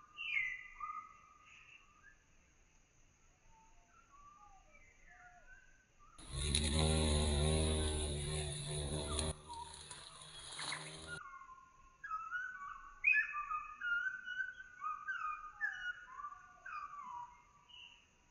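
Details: Violet carpenter bee in Mazovia, Poland, where the species was declared extinct in 2002 and has now returned. A loud, low droning buzz with rich harmonics lasts about five seconds mid-clip. Songbirds whistle and chirp before and after it.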